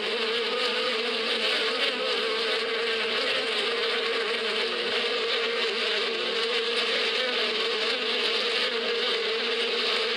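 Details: Bees in spring in the desert countryside, a steady dense hum with a constant droning tone, many insects buzzing together without pause.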